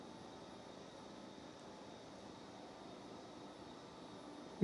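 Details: Quiet steady indoor hiss with a faint high tone and a single brief knock at the very end, with no animal sound.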